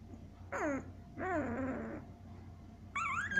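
Week-old Siberian Husky puppies give high, wavering whimpers and squeals in short bursts.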